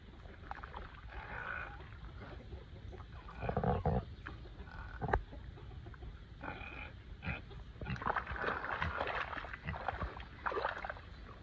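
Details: Petunia, a pig cooling off in her mud pit on a 105-degree summer day in Texas, gives soft low grunts and snuffles, building to bursts of louder grunting, with wet mud sounds throughout.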